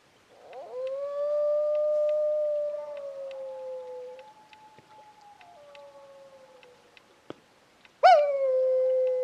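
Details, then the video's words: Wild dog howling at night on a ridge near a camp, about 2am in July at minus three degrees, coming within 300 metres. A long, steady, smooth howl that drifts slightly downward, a softer tail, then a second loud howl starting abruptly. "Trying to howl in a wild dog at camp"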